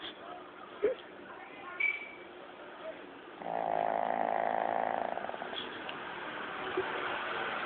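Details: Shih Tzu Lao Yun, an old dog, asleep and snoring, filmed with an old mobile phone; a few soft clicks and faint background sounds, then one sustained buzzy snore of about a second and a half.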